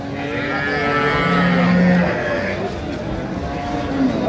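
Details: Shahiwal cow with her calf at the Ambari livestock market in Dinajpur, Bangladesh, recorded on a Friday market day, 5 December; a low, steady, drawn-out moo over crowd chatter and passing vehicles.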